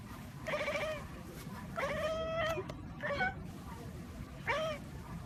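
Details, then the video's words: Kittens making funny noises, four separate meows, one long and level, others shorter with a rising or falling bend, spaced irregularly about a second apart. "Hilarious Baby Cats Talk and Make Funny Noises"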